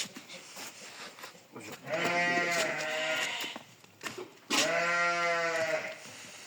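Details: Sheep being sheared for its wool gives two long, wavering bleats about two seconds apart, each over a second long. Soft rustling and a faint background hiss come between them.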